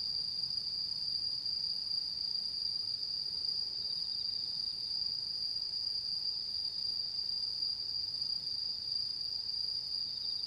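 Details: Night chorus of autumn insects under the mid-autumn full moon, 10 September 2022, in Japan: a continuous shrill, even-pitched ringing buzz runs without pause for the whole stretch over soft, low background noise.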